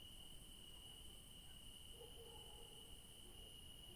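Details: Evening crickets in a garden at night keep up a constant shrill trill, with a faint upper shimmer. A soft, short lower sound appears briefly halfway through.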